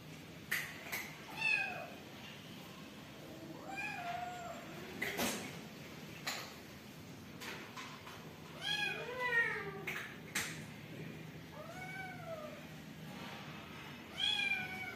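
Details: Newborn kittens meowing: several short, thin meows that bend up then down, scattered across the recording in ones and quick pairs with gaps between, over a faint steady background hiss.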